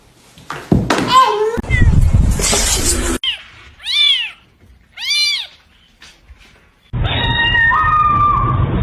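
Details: Domestic cat in a funny pet compilation, talking: two clear arched, wavering meows about a second apart, preceded by human speech and thumping noise, then a steady buzzing tone with a whistle-like line to the end.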